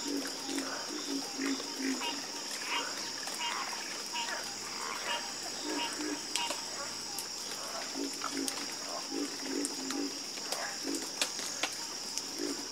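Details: Frog chorus of croaks: low pulsed calls arriving in short bursts every second or two, scattered higher ticking notes, and a steady high-pitched insect hum behind.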